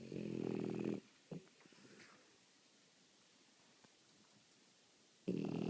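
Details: French Bulldog snores, two loud buzzy rattling breaths, one at the start and one at the end, each about a second long, with quiet wheezy snuffling in between.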